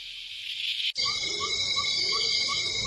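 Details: A golden cicada in humid relict forest in Colombia gives the first song of the day, a shrill, unbroken metallic buzz and high whine with a softer lower note about three times a second, after a brief hiss.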